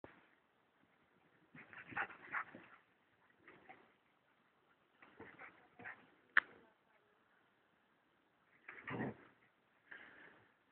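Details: Two female black German Shepherd sisters playing together indoors; short bursts of grumbling growls and whines come in clusters with quiet gaps, plus one sharp click or bark near the middle.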